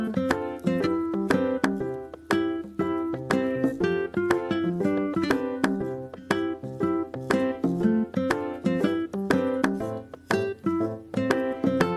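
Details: Bright plucked ukulele and keyboard music with regular strummed chords throughout and no animal sound.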